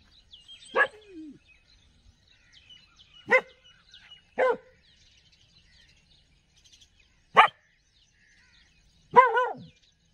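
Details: Village street dog giving loud separate barks, five in about ten seconds, the last one longer with a falling tail, over quiet background chirping of birds.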